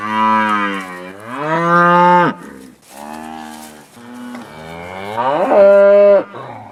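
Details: Cows out on pasture lowing repeatedly: a loud bending moo, a flatter second call, then a rising bellow that peaks and holds, each separated by short pauses.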